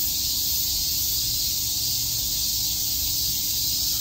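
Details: Several cicadas chirping together in Shakujii Park, Tokyo, during a summer day, a constant piercing hiss-like buzz without breaks, with a quiet low rumble underneath.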